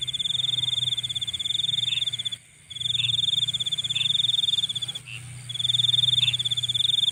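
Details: Insect chorus after dark: a shrill, evenly pulsed trill that drops out twice and resumes, layered over a continuous high whine, with quieter chirps every second or so.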